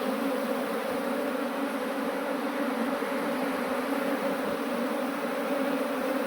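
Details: A swarm of honeybees is moved into a modern hive by their keeper, filling the air with a loud, even buzzing drone that holds two steady pitched bands and never breaks.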